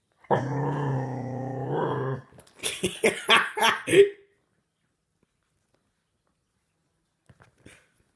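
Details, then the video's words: Young Staffordshire Bull Terrier, a six-month-old puppy, lets out a steady two-second deep growl that breaks into a quick run of short gruff barks and yips, then silence. "Dog Growling Really Loud"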